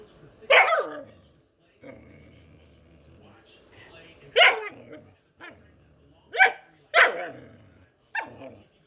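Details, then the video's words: A pet dog making funny noises: a few sharp, loud barks spaced unevenly, with softer whining and low murmuring between them. "Anni Makes Funny Noises"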